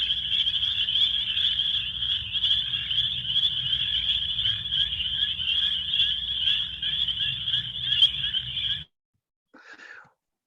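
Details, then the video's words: Many spring peepers calling together as a chorus, with individual calls still picked out: shrill, high peeps pile up densely and continuously for nearly nine seconds over a low hum, then stop abruptly, followed by a brief fainter burst. "yeah and that was a that was a chorus of uh spring peepers so that was a bunch of them calling together but you can kind of hear the individual calls"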